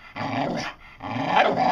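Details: Dotty, a pet dog, making speech-like vocal sounds, two drawn-out howling-whine phrases with a short pause between, moaning and rising in tone, as if saying "I want some".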